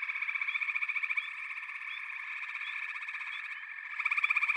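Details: A frog chorus from backwater habitat: a constant layered trilling with quick rhythmic pulses, fading slightly in the middle, then a strong rasping burst of calls at the close.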